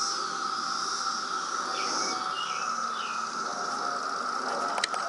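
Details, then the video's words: Periodical cicadas of the loud 2017 brood emergence in Reston, Virginia: a dense, steady droning chorus holding one even pitch throughout, with brief chirping bird calls rising and falling above it. "Cicada Attack 2017!"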